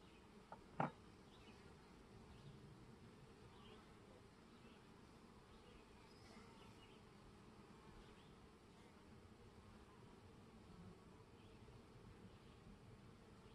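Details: Honey bees at a hive during an inspection while sugar syrup is added; a low, steady droning hum runs throughout, with one sharp click near the start.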